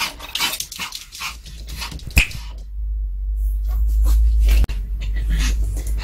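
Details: A Pomeranian crunches and gnaws a hard duck-cartilage bone treat, warmed in a microwave and tried for the first time, with rapid, irregular wet clicks, cracks and a couple of sharper snaps.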